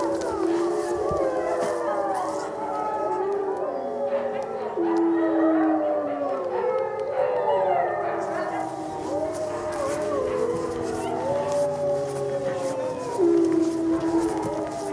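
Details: Several gray wolves howl together at a Colorado wildlife center on a full-moon night in November 2013, at feeding time; many sliding, wavering tones interweave throughout, with a low background hum and faint clicks.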